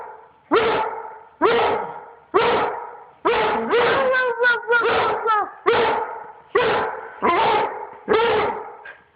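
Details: One-year-old Treeing Walker Coonhound begging its owner to play, giving a run of about ten loud, harmonic bark-howls in nine seconds, each sharp-onset and slightly drawn out, a few wavering and rising mid-call like vocal talking.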